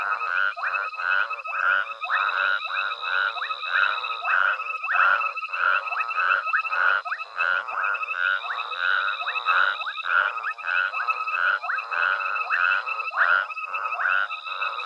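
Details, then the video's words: A dense nighttime frog chorus at Hwange Safari Lodge, with overlapping rhythmic croaks pulsing steadily while a herd of elephants forages nearby. "Elephants Forage to a Frog Chorus at Hwange Safari Lodge"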